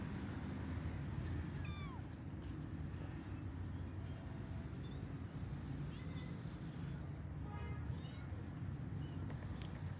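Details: Kittens searching for their mother cat give a few scattered high meows, one falling sharply and others wavering, partly buried under heavy low-pitched rumbling noise.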